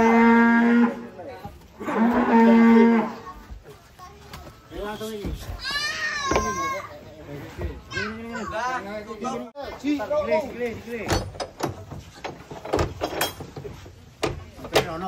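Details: Huge cattle unloaded from a truck in Indonesia, 2025: two long steady low moos open, followed by sliding, wavering calls mixed with excited voices of people and children, bangs and handling noise.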